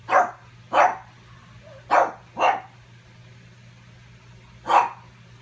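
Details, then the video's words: Pug barking at its own reflection while trying to get its ball: five sharp single barks, two close pairs then one after a pause, over a steady low hum. "Sometimes I spend the afternoon barking at my reflection trying to steal my ball."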